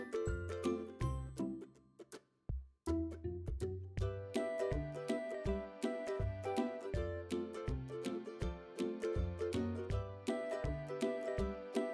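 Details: Cheerful plucked children's-style music with a brief pause, then a bouncy repeated rhythm; no animal voice.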